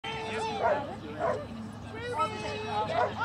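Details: Irish Terrier doing flyball: a run of high, whiny yelps and barks with ringing tonal overtones that rise and fall in quick bursts about every half second, with people talking and a busy hall behind.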